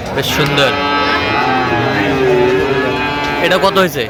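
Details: At a Chattogram cattle market in Bangladesh on 13 November 2025, where a Sahiwal bull calf is being bought, a long, low, sustained moo swells and fades mid-clip over continuous human voices and crowd noise.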